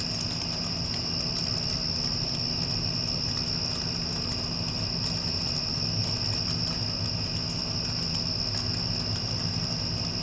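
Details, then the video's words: Crickets singing after a storm has passed: one continuous shrill trill at a fixed high pitch, accompanied by the constant low drone of an air conditioner. "Cricket Sounds with Air Conditioner (After Passing Storm)"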